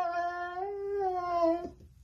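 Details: Siberian Husky vocalizing dramatically: one drawn-out, musical, howl-like wail of about two seconds that dips slightly in pitch and ends abruptly. A room echo surrounds it.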